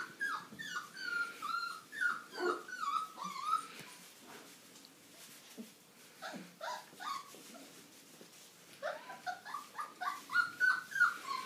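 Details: Old English Sheepdog puppies from one litter, five weeks old: a lively jumble of short whining yelps and whimpers, many rising then dipping, tumbling over each other in bursts, with a quieter stretch in the middle.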